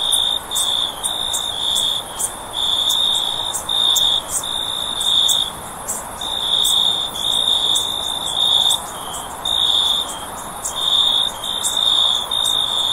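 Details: Cricket sound for sleep: a bright, high trill repeated in short bursts roughly every second, steady and insistent, with scattered sharp ticks over a quiet hiss.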